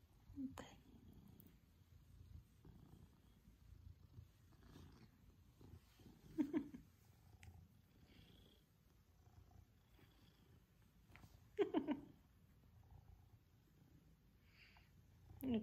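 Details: Pippin, a male Maine Coon cat, purrs while cuddling affectionately with his family, happy to get one-to-one attention; a steady low rumbling purr runs throughout, with a few brief soft words of a person speaking to him.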